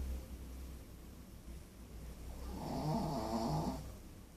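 A Pekingese dog snoring with a low, rattling, snorting breath that swells in the second half.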